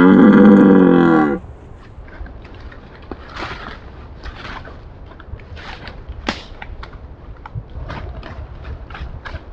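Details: A red deer stag gives a deep, rough rutting roar at night, lasting just over a second, then falls silent.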